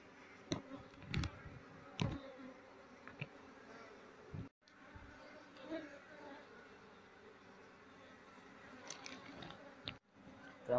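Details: Asian honey bee (Apis cerana) colony being moved out of a speaker box while the keeper looks for the queen; soft sustained hum beneath scattered clicks and knocks, with short dropouts.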